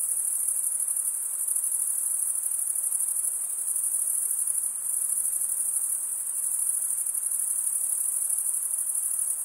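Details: Crickets stridulating, males rubbing wing edges together: a steady, very high-pitched shimmering trill that runs without pause, like a dense chorus of many insects, with only a faint soft hiss beneath and no other sounds.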